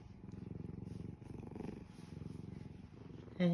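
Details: Pet cat purring while content with its owner, a continuous low rhythmic rumble; a person's voice murmurs softly nearby indoors, and a brief sharp sound cuts in at the very end.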